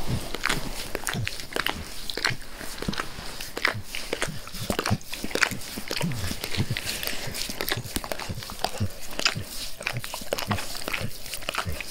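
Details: A dog named Max, who always wants to lick his owner's face, licking steadily indoors: a dense, continuous patter of moist clicks and smacks, with occasional louder slurps and faint low thuds.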